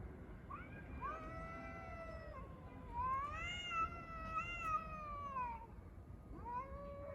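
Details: Street cats fighting over a litter box: long drawn-out wailing yowls, rising and falling in pitch, several overlapping, strong harmonic tone with a brief gap before a fresh rising howl near the end, low background rumble.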